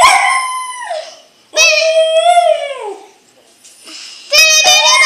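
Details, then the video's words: Pet dog howling to the Selena song Bidi Bidi Bom Bom, with three long, drawn-out, tonal wails, each holding steady and then sliding downward, separated by short pauses. "Dog howling to bidi bidi bom bom"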